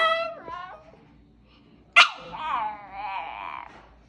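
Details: A small female dog "talking" while being asked whether she is hungry: drawn-out, whiny, howl-like vocal phrases that rise and waver, one short sharp yelp in the middle, in a quiet indoor room.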